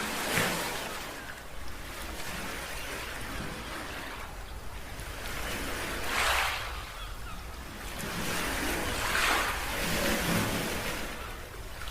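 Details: Surf rolls and washes in broad bursts under steady wind, with no clear animal calls.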